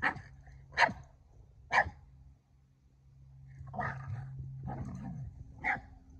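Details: Boston Terrier barking to urge a Keeshond into play: two sharp, high barks about a second apart, a pause, then harsher, rasping barks and a final yap, with a low steady hum beneath.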